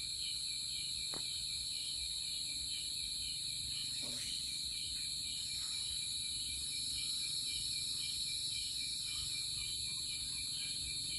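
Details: Crickets singing at a distance: several steady high-pitched trills layered into a continuous shimmering chorus over soft outdoor background noise, with a few faint brief sounds in between.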